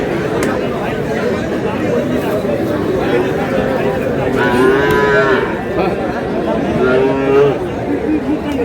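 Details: Lowing from Sahiwal bull calves at a crowded livestock market, 24 February, linked to a Cox's Bazar farmer buying calves: two rough, falling moos in the second half, each about a second long, amid steady human chatter.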